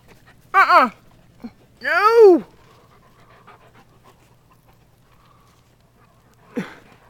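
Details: Chesapeake Bay Retriever named Brier barking excitedly at 4 AM outdoors near a creek while playfully attacking a crawfish; three harmonic, arching yelps, a short one, a longer drawn-out one, then a brief final yelp after quiet, faint background hum.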